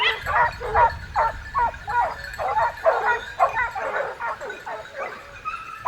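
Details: Dogs running with hunters behind a wild boar in southern France give a rapid, uneven volley of sharp barks, roughly two or three per second, overlapping one another in a continuous chorus.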